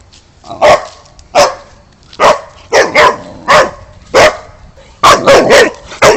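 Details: Boxer dog barking: loud, harsh barks repeated about every half second to second, some delivered in quick pairs, with a close burst of three rapid barks near the end.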